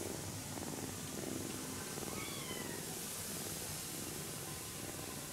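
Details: Sleeping kitten stroked carefully during a nap, giving a soft pulsing purr that swells and fades, with one faint high chirp-like sound partway through and steady background hiss.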